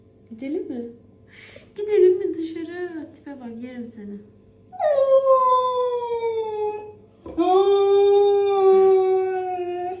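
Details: Siberian Husky 'talking': warbling, mumbling vocal noises at first, then two long, slowly falling howl-like moans, with a steady background hum.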